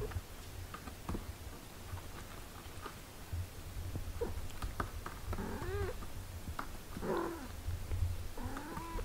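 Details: Cat mother caring for eight-day-old kittens; after quiet clicks and shuffling, several wavering harmonic meows arrive in the second half, some rising, the last one higher and drawn out, over a steady low hum.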